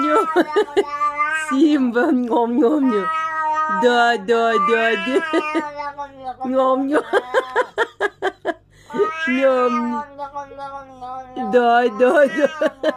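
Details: Cat yowling indoors in long, low, wavering wails that bend up and down, broken by short gaps and sharp clicking sounds, drawn out for the whole stretch.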